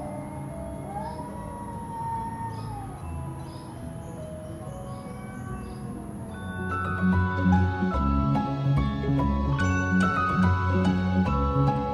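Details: Tinkling mallet-percussion music, glockenspiel-like notes building into a fuller rhythmic melody, with no animal sound.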